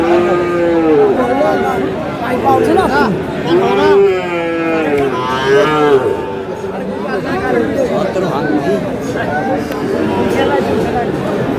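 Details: Sahiwal bull calves at a cattle market in Chuadanga, Bangladesh, on 4 July; low drawn-out moos with wavering harmonic tones rise and fall repeatedly, overlapping one another amid steady crowd chatter and men haggling nearby.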